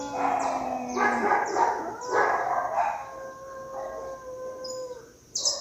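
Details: Cat fight: a couple of loud, rough wailing yowls give way to one long, steady moan that slowly falls and fades, with faint high chirps in the background and a sharp burst at the end.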